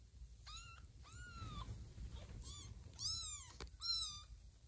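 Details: Mama cat Lima looks in on her kittens, one asleep and others crawling on a person's tummy; five bright, drawn-out meows in quick succession, the later ones louder and higher, over a quiet indoor background.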